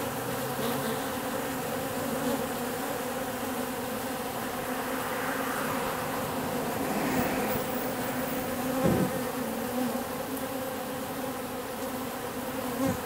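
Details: Wild bees swarming in mid-October, around October 14, at a wall in an industrial district, a mix of workers and drones about one to one; a dense steady droning hum with harmonic bands, swelling slightly near the end.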